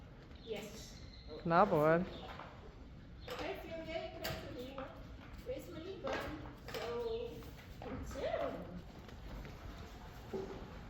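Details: Friesian horses Blomke and Belle, excited and going wild, with one giving a brief quavering whinny that climbs and wobbles in pitch, amid people talking and hoof clip-clop throughout.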